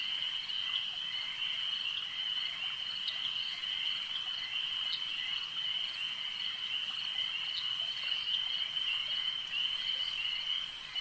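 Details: Frogs croaking at a lake: a constant high trilling chorus punctuated by sharp, clicking croaks every second or two, over a soft natural background hiss.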